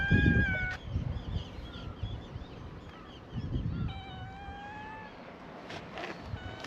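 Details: Stray cats at a cat gathering on a cat island in Japan greet a visitor with a chorus of meows: several overlapping drawn-out harmonic mews, some rising, others level, over low rumbling wind and outdoor noise.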